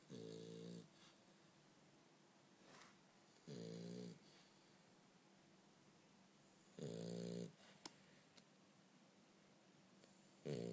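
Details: Sleeping French Bulldog giving loud, rough snores, four rasping buzzy bursts spaced roughly three seconds apart, each about a second long, with soft breaths in between.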